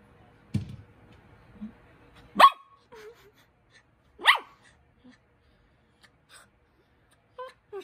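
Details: Poodle puppy Cookie seeking attention with two sharp, clipped barks about two seconds apart, surrounded by soft snuffles and a few faint, brief high whimpers in otherwise quiet surroundings.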